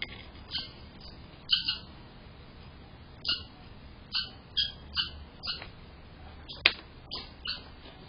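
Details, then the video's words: Red squirrels fighting on a front porch over territory. Sharp, broadband chattering bursts repeat about every half second to second, some doubled, over a low steady background hum. "Fighting and chattering drama among the squirrels"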